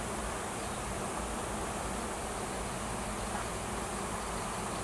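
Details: Honey bees swarming around a tree on a Washington farm, following a new queen in search of a new nest; continuous broad buzzing drone, even in loudness throughout, with a faint low hum beneath.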